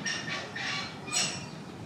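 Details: Chimpanzee at Nogeyama Zoo, June 2024, vocalizing at snack time: harsh, broadband screechy calls in three quick bursts within two seconds, the last one loudest, over a low background murmur.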